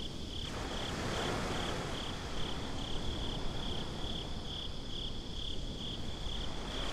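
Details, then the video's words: Crickets calling at night at the beach, a high, clear chirp repeated about every half second for the whole stretch, set against a steady low rush of waves and wind, recorded binaurally. "Crickets at the Beach"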